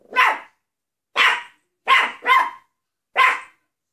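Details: Maltese dog barking: five short, sharp yaps, the middle two close together, with clear pauses between them and a quiet background.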